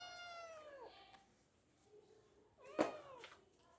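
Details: Domestic cat up a tree, meowing while trying to get down: a long descending meow with rich harmonics, falling over about a second, then after a quiet pause a louder, shorter downward meow with a sharp click.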